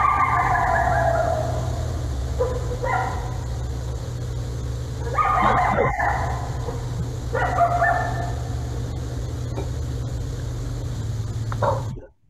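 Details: Coyote; howls and yips; communicating with the pack, gathering the group together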